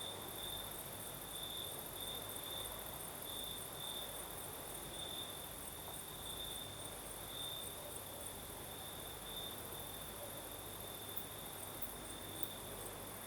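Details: Crickets singing at night in the south of Crimea with a night breeze: a steady high trill with pulsing bursts runs unbroken, over a continuous shimmering hiss higher still and a faint low rumble.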